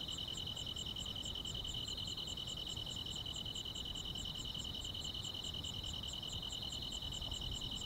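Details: On a quiet countryside summer night, grass insects chirp in a steady chorus, a higher, evenly pulsed chirp about three times a second over a continuous shrill trill, with a low, soft rumble beneath.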